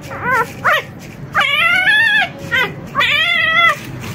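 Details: Rosalie, an experienced mother dog, tries to enter the puppy room safely past her four excited puppies, only four days old. Brief yelps alternate with longer drawn-out whines that waver and slowly fall, ringing with strong harmonics.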